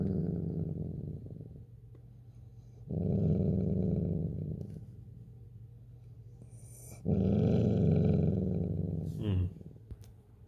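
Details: Mocha the dachshund guards a stash of chips indoors, growling in two long, rough, low rumbles of about two seconds each, while people coax her with calm talk between bursts.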